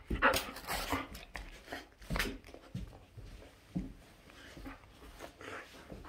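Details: Shetland Sheepdog indoors, fussing over its own tail as if something were stuck to it; short breathy snuffles and faint whimpering bursts recur irregularly, with a louder burst near the start and another around two seconds.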